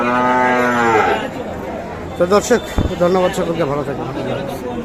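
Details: Sahiwal cattle at the traditional Kaharol cattle market in Dinajpur district, Bangladesh, on 13 July 2024 during heavy rain: one long, low, harmonic-rich moo lasting about a second and sliding slightly downward, followed by people talking amid market chatter.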